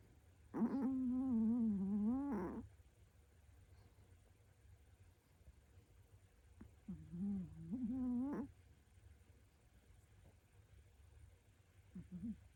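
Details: Pomeranian, a young female pet dog, asleep indoors beside her owner's bed, snoring: two droning, wavering nasal snores, each about two seconds long, separated by quiet breathing pauses in a still room.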